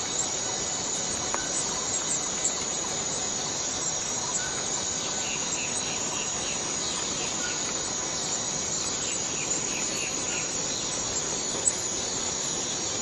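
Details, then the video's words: Continuous high-pitched cicada buzz from Borneo rainforest, steady in loudness for the whole stretch, with scattered soft chirps and a few brief clicks from the surrounding forest. "Borneo Rain Forest Cicada - Cicada sound - cicada noise"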